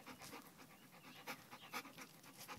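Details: Kiyoshi, a male chow-wolf hybrid dog, pants softly while doing tricks on command, sit and down; quick rhythmic breathy puffs, several per second, low and close, with faint room hiss.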